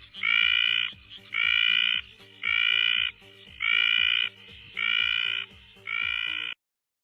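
A frog gives loud, nasal, buzzy notes, each about half a second long, repeated roughly once a second.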